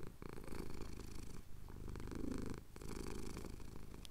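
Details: Close, low rumbling purr from a male cat enjoying a chin scratch, Cotswold hills at sunrise, Tascam DR-07X recorder; two long purring breaths separated by a brief quiet gap at the in-out turn.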